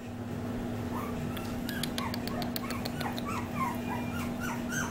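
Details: Male Maltipoo puppy, born on 7-19, giving a run of short, high, rising whimpers and squeaks over a steady low hum, with faint music.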